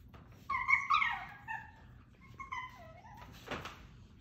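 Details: Italian greyhound puppies whose cries sound like meowing, indoors: two bursts of high, wavering, whiny whimpers, the first louder and rising and falling, the second softer and sliding down, then a dull thump.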